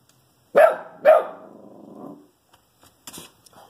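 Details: Shih Tzu barking at a squirrel, two sharp barks half a second apart, the second trailing into a low grumbling growl, then quiet with faint clicks and rustles.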